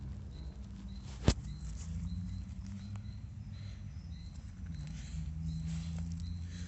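Low, steady gurgling rumbles from a horse's gut, with one sharp click early on.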